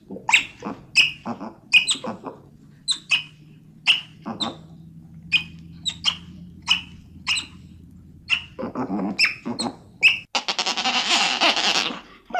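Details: Otters chirping: quick, sharp high chirps repeated roughly every half second, with a burst of rougher squealing and a loud hissing noise near the end.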